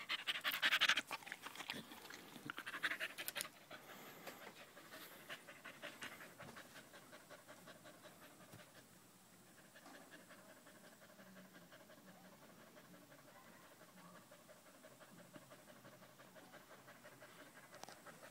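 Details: Loud rapid panting from Danco, a dog staying close at someone's leg on 05.08.2013: quick breathy strokes, roughly four per second, after a few louder knocks at the start, then a softer steady pace.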